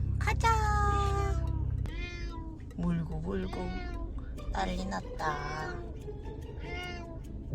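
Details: Affectionate domestic cat that clasps a person's hand, recovering from stomatitis, gives several short harmonic meows, some rising and falling, between stretches of human speech, over a low steady hum and faint background music.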